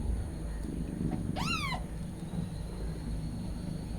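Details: A nursing mother cat with her newborn kittens, calling out constantly; a single short rising-then-falling meow over a low indoor rumble.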